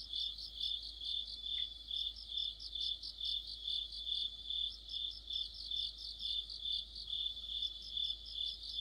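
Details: Mid-autumn chorus of crickets and fellow insects beside a streetlamp: high, piercing continuous trill plus repeated pulsed chirps from several callers, rising and falling in regular waves.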